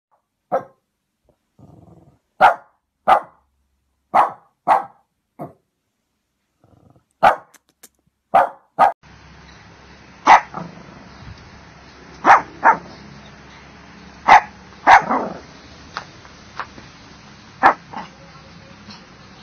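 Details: Shih Tzu barking in a compilation: a string of short high yappy barks roughly every half second to second, first in a quiet setting, then continuing over a steady background hiss.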